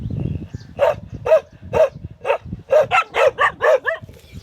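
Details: Short clip of a dog barking: after a low rumbling start, barks repeat about twice a second, growing denser toward the end.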